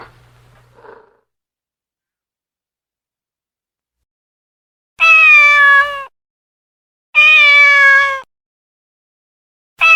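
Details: Domestic cat meowing, two long harmonic meows about a second each separated by a two-second gap, after near silence with a faint short sound at the start; a third meow begins at the end.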